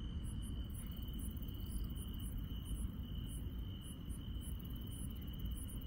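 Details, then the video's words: Countryside insects at night give a steady, piercing high trill, with quick, very high chirps repeating every third to half second against a constant low-pitched rumble. "시골 밤의 정겨운 풀벌레 소리"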